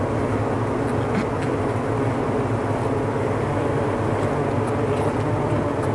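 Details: Many bees in a winter cluster around their queen buzz together in a thick, low, steady, layered drone, with no single insect standing out from the mass.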